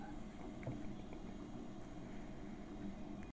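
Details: Low, steady rumble of water and a boat, with faint scattered knocks and no animal voice anywhere.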